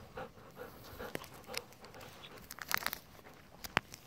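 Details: A pair of Golden Retrievers, sister eleven and brother ten, taking it easy in a rice field in the evening. Short huffing pants pulse about once a second, then give way to crisp clicks and taps.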